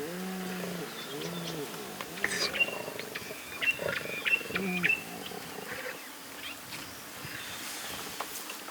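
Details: Young lion cubs, two small and two tiny, resting and eating with their mothers in the Masai Mara on 2 November 2022, give short, arching, mewing calls, with thin, high chirps of small birds behind.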